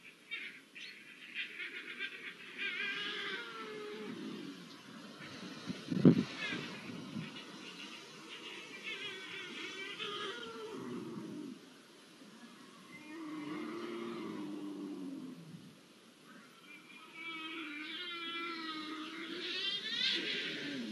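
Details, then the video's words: Copulating Iberian lynxes recorded 05-01-24 utter softer, drawn-out wavering yowls and low moans, with a sharp knock near the middle and quavering calls returning toward the end. "SONIDO DE LINCES COPULANDO"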